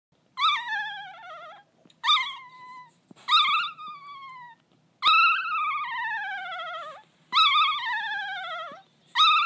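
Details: A one-day-old Golden Retriever puppy 'singing': six drawn-out, wavering wails, each starting high and sliding slowly downward, separated by short pauses, over a faint steady hum.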